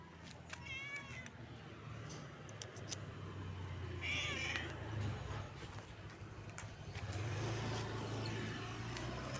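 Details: Stray cat living on the street gives two meows: a short harmonic meow near the start and a higher, drawn-out meow midway. A steady low traffic rumble runs throughout.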